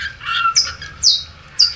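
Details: Newborn smooth-coated otter pup, hungry for milk and held for bottle feeding, gives three sharp, high squeaks, each sliding steeply downward, spaced about half a second apart, with no other clear sounds.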